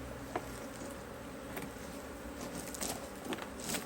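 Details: Honey bees buzzing at an open HiveIQ beehive in Australia, mid-autumn 2023, while heavy frames are handled. A constant low hum sits under scattered sharp clicks and knocks from the handling.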